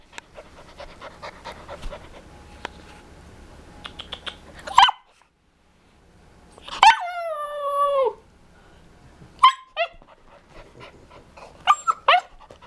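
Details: Young male Siberian Husky, a future talker and singer, learning to howl: soft yips and clicks, then a sharp yelp and a falling, wavering howl about a second long, followed by short squeaky yips and whines.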